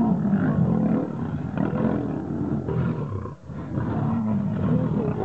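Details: Fighting wild lions, two rivals contesting to become king: heavy, rumbling growls in rapid pulses, deep and gravelly, with a short break near three and a half seconds.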